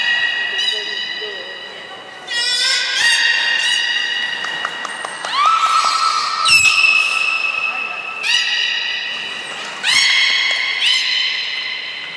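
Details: Belugas Hodoi, Taanya and Mirai training at Port of Nagoya Public Aquarium, 14 September 2019: a run of varied harmonic calls, some rising, some held flat, with short squeaky bursts between and sharp clicks.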